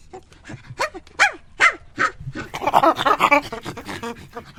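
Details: Chimpanzee calling: several separate rising hoots swoop upward one after another, then break into a dense, shrill burst of excited screaming pants near the end.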